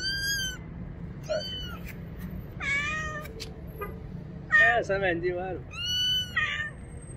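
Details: A little kitten, afraid of the bathroom and hiding behind a motorcycle, meows for help: five high, drawn-out cries with strong harmonics, some sliding down, one wavering, spread over seven seconds against low background rumble.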